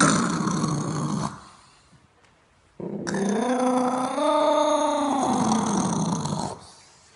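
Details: Caspian seal rescued after entanglement in fishing nets, held at a rehabilitation facility on Ashuradeh island, Iran, giving a harsh growling burst, then after a pause a long, sustained, harmonic moaning call lasting about four seconds.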